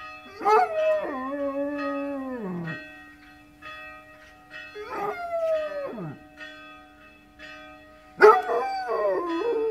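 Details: Basset Hound answering church bells that woke it: three mournful howls, the first two long and falling at their ends, the last starting sharply, with sustained bell ringing throughout.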